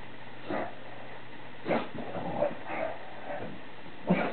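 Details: A male bulldog during his nightly ritual of spinning in circles right after the household finishes eating; short rough yips and grunts come in irregular bursts, about six in four seconds, over a steady low hum.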